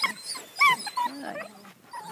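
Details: German Shepherd puppies at play in a yard: a few loud, sharp, high-pitched yelps and a brief whine in quick succession, with soft chirping in the background.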